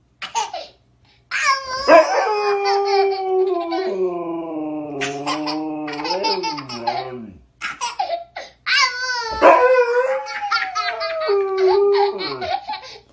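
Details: Siberian Husky talking with its owner, playing happily: long drawn, wavering howl-like moans that dip and rise, broken by short yelps, with human laughter breaking in between.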